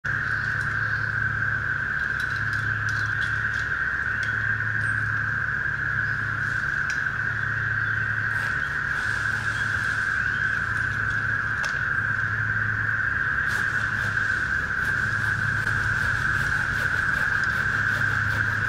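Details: Massed cicadas give a continuous, even buzz at one mid-high pitch during tree work removing deadwood over a lane; beneath it a deep hum throbs on and off every second or two, like a distant engine.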